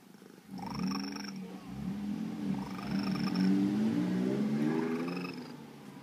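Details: Formerly feral female cat, trapped and spayed years ago and slowly befriended, chatters in low purring trills, a rolling rumble that swells and rises over several seconds with brief chirpy overtones, described as sounding like a little bird.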